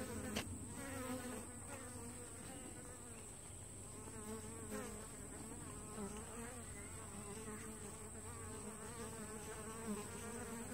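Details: Entrance traffic at a honey bee hive split two weeks old, many bees coming and going: a continuous layered drone with wavering, rising and falling whines of individual flyers passing close, plus a thin steady high tone.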